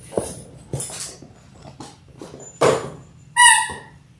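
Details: Labrador Retriever puppies in their sixth week, one of a litter of six born January 18, 2022, filmed indoors on February 28: soft taps and shuffles, then a sharp high whine with clear overtones near the end.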